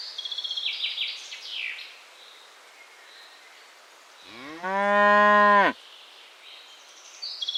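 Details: A cow grazing in ripening rice paddies lets out one sustained, nasal, harmonic moo that rises and holds steady for over a second before cutting off, with small birds chirping and twittering before and after.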